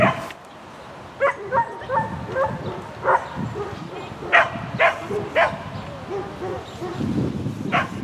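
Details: Sheltie Lesya on an agility course, Spring 2016 competition, 22 May 2016. Strings of yappy barks come in quick clusters over crowd chatter and rumbling background noise.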